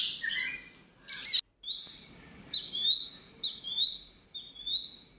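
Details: Rescued baby squirrel being hand-fed milk, given a spoonful several times a day; high, thin squeaks slide upward in quick bursts, a cluster early on, then a run of rising chirps about once a second.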